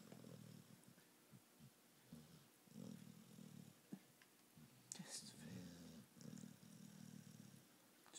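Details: Female American Pit Bull Terrier snoring while awake with her eyes open, indoors: short low rumbling snorts repeated roughly twice a second in uneven bursts, with a few sharp clicks and a brief human sound in the middle.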